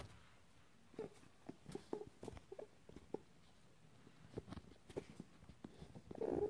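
Quiet, low grunts and snuffly huffs from a rabbit come in brief bursts, some single and some in quick pairs. A slightly louder rustling sound closes the sequence against a still indoor background.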